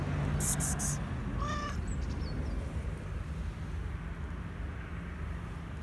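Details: A black and white cat asking for food gives a single brief meow after a short clatter of clicks, then quiet low hum.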